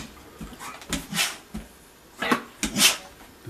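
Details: Female Vizsla sneezing on command indoors after being asked for three sneezes; several short, sharp, breathy bursts spaced irregularly across the recording, with soft snorting sounds in between.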